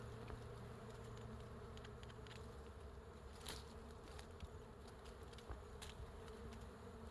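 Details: Honey bees swarming over a large wild beehive hanging from a tree branch in natural forest: a dense, steady low buzzing hum with bands around the low register, scattered brief clicks and crackles above.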